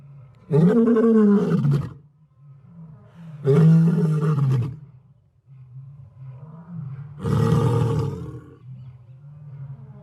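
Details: Lion roaring: three loud, rough bursts about a second long each, roughly three seconds apart, over a steady low rumbling drone in between.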